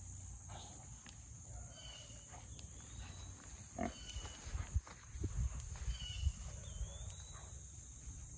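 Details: Four young Mangalitsa pigs rooting through forest after a big rain. Low, short grunts and snuffles come in an uneven burst from the middle onward, over rustling ground and steady low rumble, with brief high bird chirps scattered throughout.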